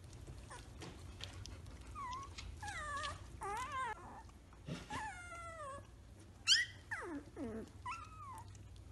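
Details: Three-week-old Samoyed puppies, walking and playing, giving squeaky whines and yelps that rise and fall in short bursts, with a sharp high squeal midway and scattered soft thumps beneath a low background hum.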